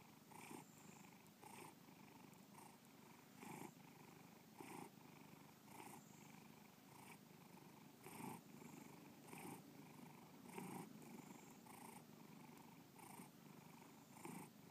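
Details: Bubba, a pet cat, purring steadily indoors: a low rumbling drone broken into soft pulses about once a second, each breath cycle marked by brighter bursts, quiet and continuous throughout.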